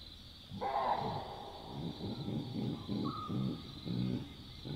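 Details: Wild Chacma baboons at night in the African bush in southern Africa; a series of low rough grunting pulses roughly every half second, fairly faint against a steady high insect-like hiss of the night.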